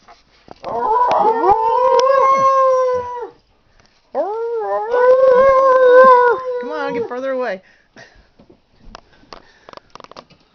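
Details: Big dogs howling beside a 12-week-old Alaskan Husky pup, recorded 19 February 2011; two long, steady, harmonic howls of about three seconds each, slightly wavering in pitch, separated by a short pause, followed by clicks and handling noise.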